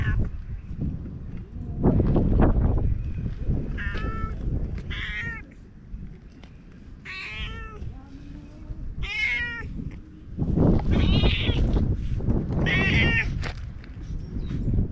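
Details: Stray cat met by chance and being petted: several clear rising-falling meows with bright harmonics, some short and some drawn out, over heavy low rumbling handling and wind noise.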